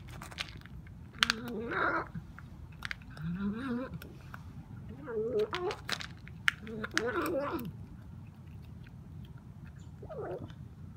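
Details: Noisy kitten with rare bone disease eating dry food in a small room, giving a run of wavering, bending mews and growly murmurs between bouts of crunchy chewing, with a final short call near the end.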